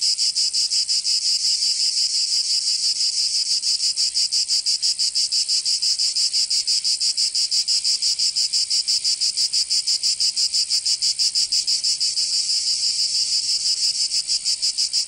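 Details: Cicadas singing on a summer day in Provence, southern France: a dense, high, buzzy rasp pulsing rapidly and steadily for the whole stretch, with no other sounds.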